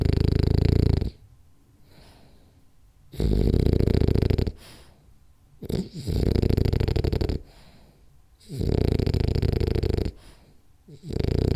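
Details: Rolly, a French Bulldog, snoring loudly through a power nap indoors; long rasping, low snores about a second long, separated by quieter gaps of a second or two, with faint breathing in between.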